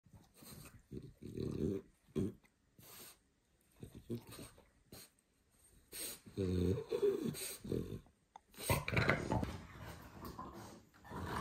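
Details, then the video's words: A male French Bulldog makes it clear to his owner that he wants to go for a walk. He gives short wheezy, snorting grumbles in uneven bursts, with low throaty moans and brief pauses between them. "French bulldog makes it clear to the master that he wants to walk"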